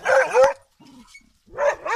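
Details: Leonberger guarding its property, giving deep harsh barks in two bursts separated by a short pause with a low human voice between them.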